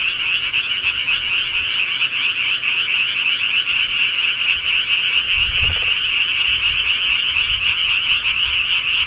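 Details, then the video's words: Frogs of the countryside at night fill the air with a thick, steady chorus of fast, high-pitched croaks, pulsing without pause; a brief low thud sounds partway through. "시골개구리 소리"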